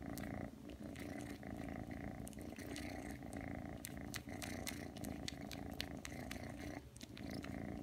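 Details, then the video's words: Aki, a three-month-old indoor Ragdoll, came when called and now kneads and suckles, purring in a constant low drone accompanied by quick sucking smacks and clicks. "[Ragdoll cat] 부르니까 오네요?! 와서 꾹꾹+쫍쫍 시전하는 아키짱！"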